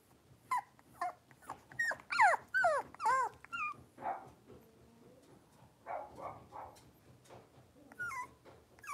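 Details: Blenheim Cavalier King Charles Spaniel puppies, a litter of five, playing and wrestling in an indoor pen; a run of squeaky rising-falling yips and whines, with short harsher growl-like bursts in the middle and more yips at the end.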